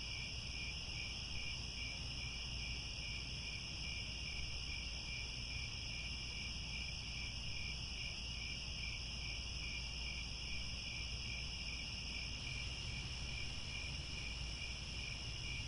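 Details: Crickets at sunset in the Angkor Wat grasslands of Cambodia keep up a sustained, high, multi-layered trilling; one middle voice drops out near the end while the others carry on over a low rumble.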